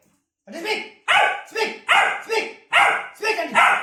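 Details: Labrador Retriever puppy demanding food with a rapid run of about seven loud, raspy barks, some doubled, packed close together over a few seconds.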